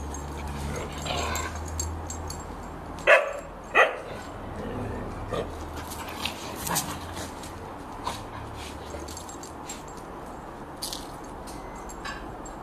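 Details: Rough play between an Irish Terrier and a lurcher brings two sharp, loud barks close together, followed by scattered softer yips and scuffling over a low rumbling background.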